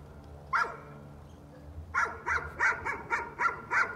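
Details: Dog barking as a nuisance, said to have gone on for thirty minutes; one sharp bark, a pause, then a quick run of seven barks about every third of a second, with a person hushing afterward.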